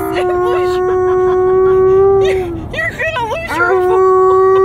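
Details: Alaskan Malamute howling in a car on a road trip: a long steady harmonic howl, then a burst of wavering, warbling yodels and squeaks, then another sustained level howl, with quiet road noise.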